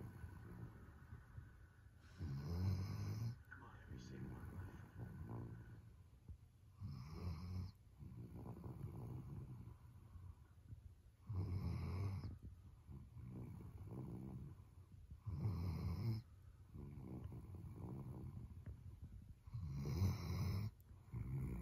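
A sleeping Weimaraner gives loud, low snores, each a rough rumbling burst lasting about a second. The snores come in an uneven rhythm, roughly every four seconds, in a quiet room.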